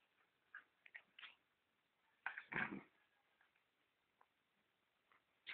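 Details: During play, a male pet dog makes soft, brief whines and yelps, with a louder cluster midway and faint sounds at either end.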